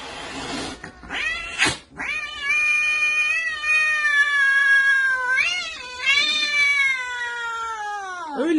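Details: Domestic cat from a set of funny 'talking' cats, producing long drawn-out, wavering meow-like yowls lasting several seconds each, with a short break between, preceded by brief sharp noises.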